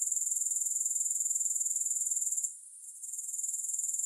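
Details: Grasshoppers with no music added: a dense, high-pitched shrill trill pulsing about four times a second, steady until a brief dip in loudness past the midpoint, then resuming.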